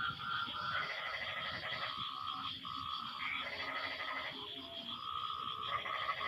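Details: Frogs call back and forth after the rain stops, giving rough, nasal croaks in short bursts of differing pitch that overlap irregularly, with a continuous high whine behind them.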